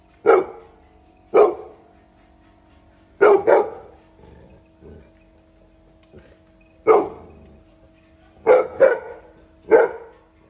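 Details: A 10-month-old Labrador Retriever puppy barks at sheep, loud sharp barks singly and in quick pairs, with pauses between.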